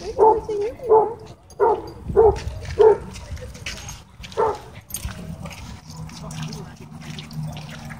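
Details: Dogs at a dog park, happy play interrupted by a dogfight; a run of five short mid-pitched barks in the first three seconds, one more near four and a half seconds, then low rumbling and background noise.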